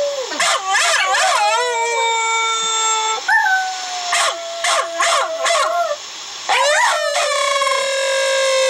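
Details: An older female Silky Terrier–Chihuahua cross howls in long, wavering tones broken by sharp yips, answering a dog's howl played on a computer.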